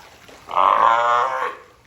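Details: Captive California sea lion Taeko, Ehime Prefectural Tobe Zoo, 20 April 2022: a single loud, buzzy, honking bark lasting about one second, clear and close.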